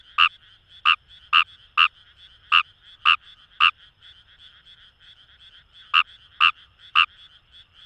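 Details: Paddy-field chorus of wild Kawamura's rice frog beside the Kamo River in Itoshima, Japan: a burst of seven harsh croaks, a two-second pause filled only by quieter distant callers, then more croaks.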